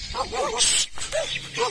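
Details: Domestic dogs barking at a person in a neighbourhood at Bukit Raka, Malaysia, during fruit foraging; short arched yelping barks in quick succession, with a burst of insect or hiss noise midway.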